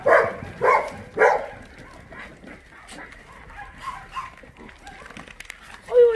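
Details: Shelter dogs at Minjeulle Shelter for abandoned dogs in Yangsan give three loud, quick barks in a row, then quieter yips and voices, and one more bark at the end.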